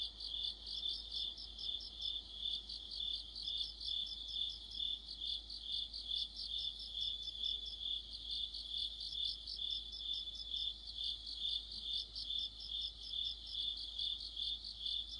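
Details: Crickets joined by other insects in an autumn chorus, a long unbroken high shrill hum with overlapping pulsed chirps repeating steadily about twice per second for the full stretch.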